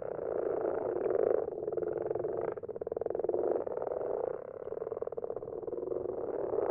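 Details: Several common frogs in a garden pond at night, their numbers growing each year; a dense chorus of low, purring, pulsed croaks overlapping continuously, with rattling bursts near the middle and end.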